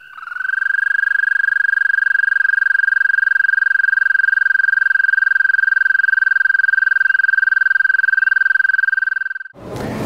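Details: A male American toad in Northern Ontario gives a spring mating call, heard on May–June evenings above 14 °C. It sings one sustained, even, high musical trill at a single pitch for about nine seconds to attract females.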